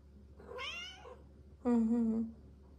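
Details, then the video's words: Female Bengal cats indoors at night; two meows, the first wavering and rising, the second a louder, flatter, drawn-out cry of about half a second, over a low hum. "Kitty fight on the cat wheel!"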